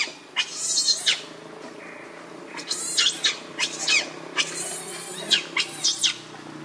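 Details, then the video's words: Baby monkey, hungry and upset, crying for its mother's milk: several short, piercing screeches in separate bursts with quiet gaps between them, over a low background hum. "Very Angry Need Milk Much I Smart Cute Lovely Baby Monkey"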